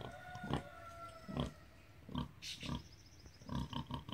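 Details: Rosie, a Hereford sow, calling to her piglets as food arrives: spaced, low, breathy grunts about once a second, with a brief higher squeak near the middle.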